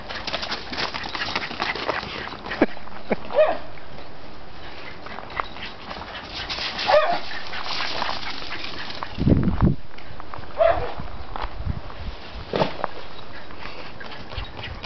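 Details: Two dogs, a Welsh terrier and a German wire-haired pointer named K.C. and Hunter, chasing each other while running; a few short, sharp yelping barks spaced several seconds apart over steady scuffling and rustling from their running.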